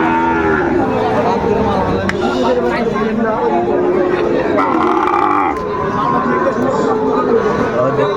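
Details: Sahiwal bull calves at a crowded cattle market in Tangail, Bangladesh, on 2 May 2024 in hot weather. Drawn-out, harmonic moos rise and fall, overlapping one another, with steady chatter and people talking throughout.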